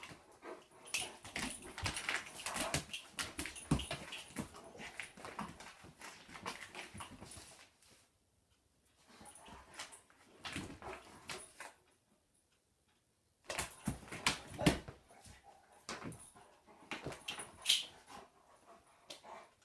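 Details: Giant German Shepherd dog inside a home during what is called a vicious attack; irregular clusters of short, noisy broadband sounds, about two and a half per second, broken by quiet gaps near eight and thirteen seconds.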